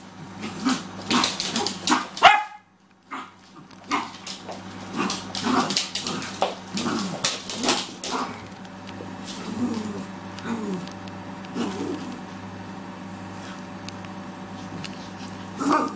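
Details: Maltese puppy and cockapoo playing together: sharp yips and short barks crowd the first eight seconds, then softer whines and playful growling noises over a steady low hum.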